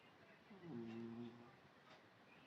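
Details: A sleeping British Shorthair cat gives a single soft, droning snore, low and steady, in a quiet room.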